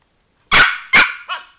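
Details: Two sharp, bright yaps from a male pet Chihuahua during a light-and-button trick, followed by a softer, lower trailing yelp; short and close.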